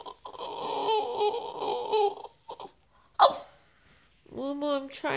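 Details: Moo Moo, a female French Bulldog, makes funny sounds because she wants to play: a drawn-out, wavering, nasal whine lasting about two seconds, a brief sharp yelp, then another warbling moan after a pause, indoors.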